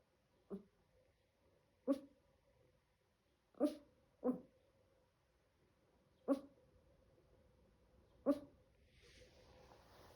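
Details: Seven-month-old Chihuahua puppy giving six brief, clipped yaps roughly every one to two seconds, two close together early on, in a quiet room with a low constant hum and a soft rustle at the end.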